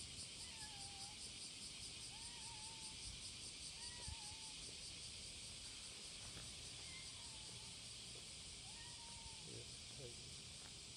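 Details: Cicadas calling to attract mates on a July 2017 morning, a steady, piercing, rapidly pulsed buzz with repeated short whistled bird phrases dropping in pitch every second or two.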